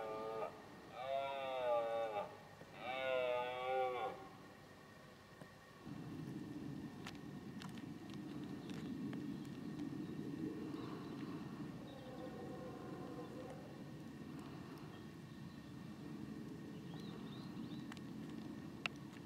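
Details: Red deer stag during the 2018 rut: two loud harmonic bellows, each about two seconds with a wavering pitch, follow each other closely. Then a long stretch of low rumbling background with a fainter, distant bellow.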